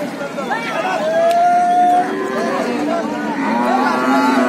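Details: Cattle being unloaded from a stranded trawler to the shore; a long, level, high-pitched bellow lasting about a second, followed by lower moos, over a crowd of people talking.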